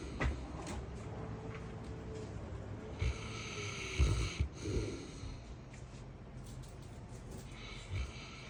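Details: Deeply sleeping Saint Bernard, twitching and hard to wake, snoring indoors. Low rumbling breaths with soft snorting puffs near the start, middle and end over a constant background hiss.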